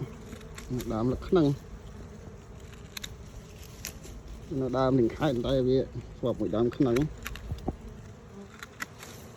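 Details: Bees close by while honey is being taken from two nests near each other: wavering, droning buzz bursts that rise and fall in pitch, around 1 and 5–7 seconds, with quieter outdoor background between them.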